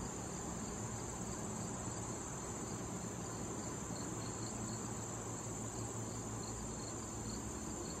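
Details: Crickets trilling in late summer among wild thistle blossoms: a continuous high, thin ringing note plus evenly repeated soft chirps, several each second, above a steady low hum.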